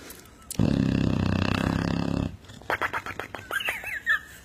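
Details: Sleeping dog snoring like a motorcycle; one long, loud rattling, buzzy snore lasting nearly two seconds, followed by quieter clicks and a few high squeaky sounds.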